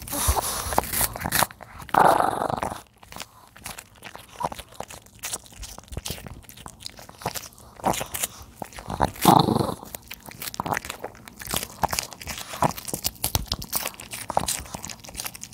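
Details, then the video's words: A 13-year-old male senior dog eats napa cabbage, with close, wet crunching and munching in irregular bursts and quick bites throughout, plus a few louder rustling moments. "노견의 ASMR 먹방_알배추"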